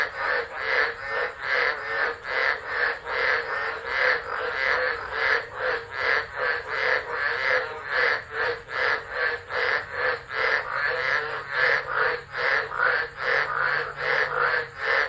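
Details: Australian tropical frog chorus at Driver, Northern Territory, during a tropical storm on 13 December 2013, taped by an unattended phone. Dense, harsh croaking beats repeat continuously in a slightly uneven rhythm, with a faint low hum near the end.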